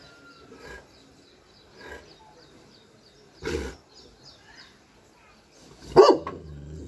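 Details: Dogue de Bordeaux named Whiskey, a giant wrinkle-faced French Mastiff, giving aggressive barks: a few muffled woofs building to one loud, harsh bark near the end, while birds chirp softly in the background.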